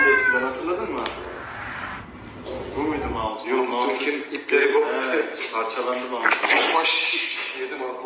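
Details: Domestic cat making a string of wavering, nasal meows and drawn-out caterwaul-like cries over several seconds, mixed with background voices and household noise.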